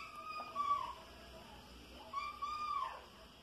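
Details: Soneca, a five-month-old kitten that hunts flying insects at home, gives two drawn-out, arching meows about a second and a half apart, each rising then sliding down, over a quiet room hum.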